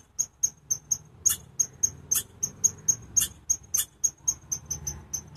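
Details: Chipmunk giving loud, repeated piercing chips, roughly four each second in a steady rhythm, over a faint low rumble.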